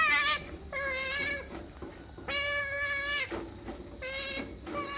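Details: Pet otter eager for a salmon treat, producing flat, sustained whining squeals about a second long, repeated with brief pauses and sharp clipped starts; steady high hum in the background.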